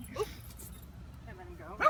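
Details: Dexter, a six-year-old Portuguese Water Dog, or a neighbour's dog, gives two short, sharp barks in a backyard by the fence during counterconditioning training against barking at neighbours' dogs and kids, with a person talking nearby.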